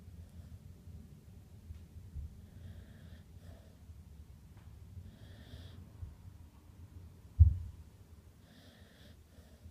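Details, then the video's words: Jeff, a sleeping dog, snoring: steady low rumbling breaths through the whole stretch, with faint airy hisses and a single sharp thump or snort near the end in a small quiet room. "Jeff snoring"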